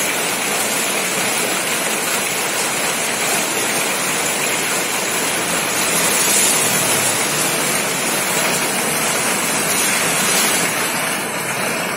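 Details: A loud, steady broadband rush like falling water or heavy rain fills the recording, with no animal calls.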